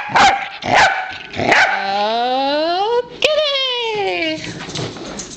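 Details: Three sharp barks from a Pembroke Welsh Corgi lead into a drawn-out, rising whining call. A second sliding, falling whine follows after a short yelp, and the sound trails off into faint noise.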